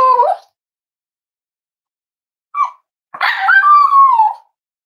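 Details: Cavalier King Charles Spaniel puppies snuggling indoors on a warm Friday morning at a home raising emotional support animals: a short high whine, a brief yelp, then a longer drawn-out whine that wavers and slides downward.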